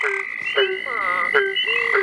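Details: Barking Treefrogs in the North Carolina Sandhills at night, with a couple in front and one behind, give low, hollow, dog-like barks about every half second over a steady high drone, possibly including southern toads and Cope's gray treefrogs.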